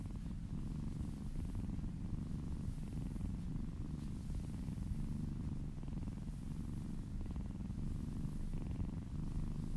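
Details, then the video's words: Kitten purring while being massaged indoors, a steady low rumbling purr throughout with rhythmic pulsing, faint soft rustling above it, no other voices. "Cat massage ASMR - Purring kittens ASMR"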